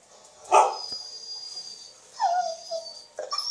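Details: Dog seeking attention over a social network, heard by a listening French Water Dog. A sharp yelp-like bark comes first, then a falling whine trails off, and a short sound follows at the end. A thin high tone persists throughout.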